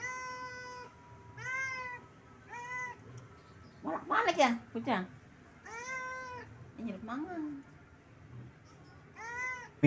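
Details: Pet cat asking its owner for food: six long, bent meows spread across the recording, with a person talking briefly between them.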